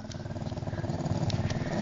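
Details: Deaf old Jack Russell Terrier named Winston growls, unhappy at being found in his dog bed; a low, rumbling growl pulses steadily throughout, with rough harmonics and no break.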